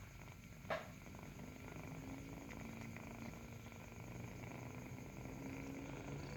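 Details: Kitten purring as it nurses, an even, low vibrating rumble held throughout, with one short click early on and faint background hiss.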